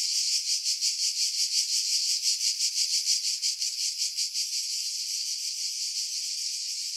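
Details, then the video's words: Cicada chorus from pine woods above Pefkos Bay on Skiros, Greece, July 2018, recorded with an external microphone; a harsh high buzz pulsing about three times a second, the pulses fading into a steadier drone after four seconds. "Cicada Sounds, July 2018 Skiros, Greece"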